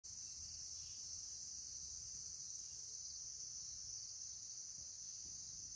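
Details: A green cicada buzzes in a continuous high, steady electric hiss that holds unchanging throughout, with faint low rustling underneath.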